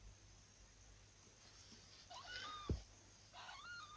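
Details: Domestic cat Candy, a young 11-month-old female, giving birth indoors in a darkened room at night; faint high rising-and-falling mewing cries around the middle and end, with a sharp thump and quiet room hiss.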